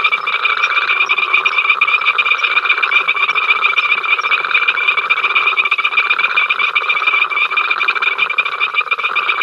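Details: Incessant frog chorus at Ol Donyo from the africamLIVE live cam: steady dense rattling of countless callers with a piercing sustained high note beneath, evenly loud from start to finish.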